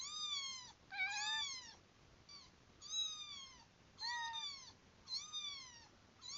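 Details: Kitten meows played to a cat: a series of high, thin, wavering mews, each about half a second long with a falling or arched contour, repeated roughly once per second in a quiet indoor room.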